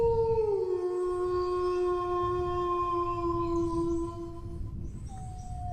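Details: Dog howl: one sustained, nearly flat wail that drops a little at first and then holds for about four seconds before trailing off, with a faint second howl near the end and low rumble beneath.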